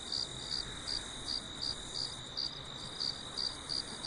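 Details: A cricket sings high, bright chirps repeated steadily about every third of a second, at night on a farm under a full moon.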